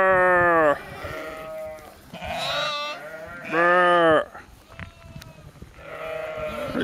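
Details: Sheep in Skåne, southern Sweden, giving four loud, wavering bleats with rich harmonic stacks, each lasting under a second, separated by quieter pauses with faint background rustle.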